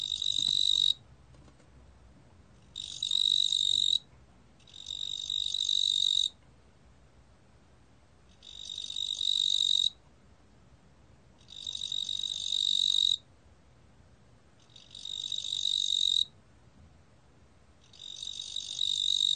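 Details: Fat cricket (ttungbo-gwitturami), recorded by Korea's National Institute of Biological Resources in 2020: buzzy, high-pitched trills in bursts of about one to one and a half seconds, seven bursts separated by one- to two-second silences, against a quiet background.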